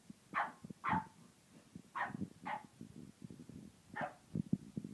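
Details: Indoor French bulldog, still wary of a tiger toy, gives five fairly faint, short barks in two close pairs and a single one. Soft thumps and shuffling fill the gaps.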